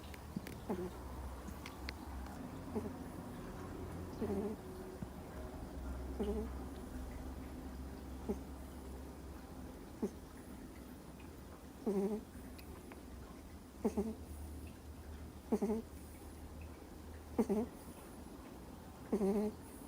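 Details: Two-month-old Miniature Schnauzer puppy fast asleep indoors, snoring: short nasal, slightly whistly snorts repeat about every two seconds, growing clearer and more regular toward the end, over a steady low room hum.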